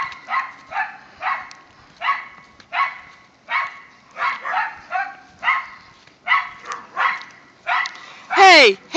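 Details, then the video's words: Dogs in a group of whippets and a rat terrier named Mikey, Kieran, Wiley and Zoe romp in the season's first light snow. Sharp barks repeat about every half to three-quarter second, ending in a loud, sweeping squealing whine. "snow day for whippets and rat terrier"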